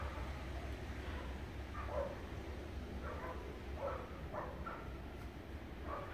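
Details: Steele, a dog playing in the snow, gives a run of short, bright barks in loose bursts about every half second to a second, over a steady low rumble of background noise.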